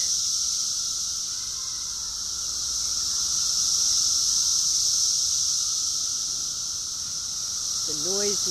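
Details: During a cicada invasion in a yard, a dense cicada chorus makes a deafening, steady, high, shrill hiss that never lets up.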